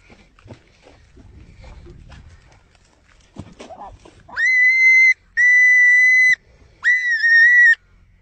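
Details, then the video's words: Rodent screaming: after faint rustling, three loud, flat, whistle-like tonal screams, each about a second long, with short gaps between them. "Screaming rodent"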